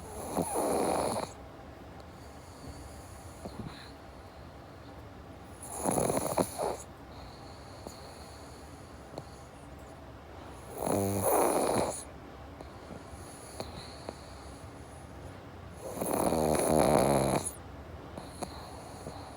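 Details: Rhythmic snoring of a sleeping pug, named as Jaba or Morgan: four harsh, buzzy inhalation snores spaced about five seconds apart, each near a second long, with a soft steady hum between them.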